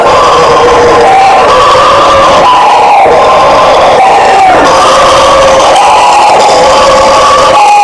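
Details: Bugio or guariba howler monkey vocalization: dense, overlapping roars that rise and fall in waves every second or two, loud and unbroken from start to finish.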